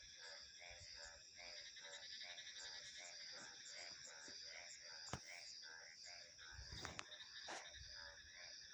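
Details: Rapid, pulsed frog croaks follow one another without pause beneath a bright, ringing cricket and insect hum; a few sharp clicks and low thumps break in toward the end.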